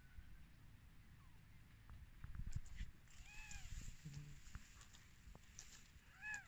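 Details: Newborn kittens on their first day of life, just born to their mother cat, give two or three short, arched, high mews, the clearest near the middle and another at the end, over a steady low background rumble.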